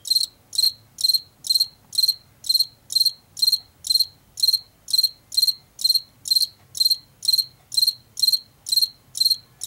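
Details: Washington field cricket, a late-summer and fall insect of fields and forest edges, giving a long regular series of high pulsed chirps, roughly two each second, with faint low rumble underneath.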